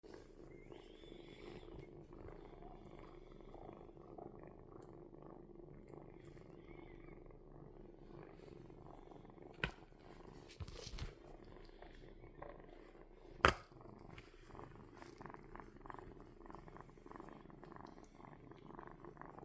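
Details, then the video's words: Kitten purring in a continuous low rumbling throb that stays steady for the whole stretch, broken by a couple of sharp knocks or handling clicks midway. "Purring Kitten"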